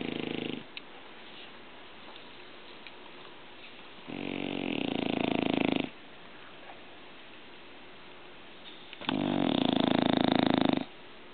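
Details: English Bulldog snoring: three long, rasping, rattling snores lasting one to two seconds each, with a fine fast buzzing texture, separated by quiet pauses of about three seconds.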